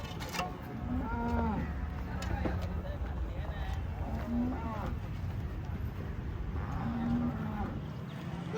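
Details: A Holstein Friesian cow gives three brief, low moos spaced a few seconds apart, over constant rumbling background noise.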